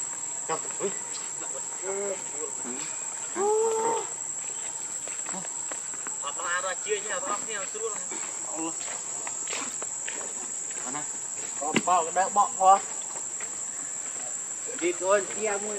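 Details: Monkey Rainbow, very angry while protecting Lucie from Kachoy, gives bursts of wavering, harmonic squeals and screeches in several clusters, loudest near the end, over a steady high insect drone.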